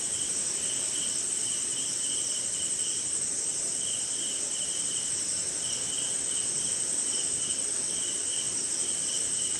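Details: Insects including crickets calling through a rainy Indian night: a constant, very high buzzing trill and a lower pulsed chirp band coming in short, repeated bursts, over an even hiss of rain.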